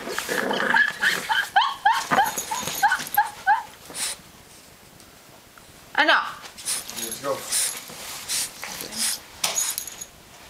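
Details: English Bulldog puppy, 14 weeks old, indoors: a quick run of short, high, yelping yips and whines repeated about every half second, then scattered later cries, with people talking in Tagalog over and between them.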